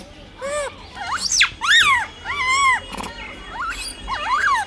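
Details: Blind baby monkey fighting over food: a run of loud tonal wails, each swooping up then down, one long level cry in the middle, followed by a sharp noisy burst and softer quavering squeaks.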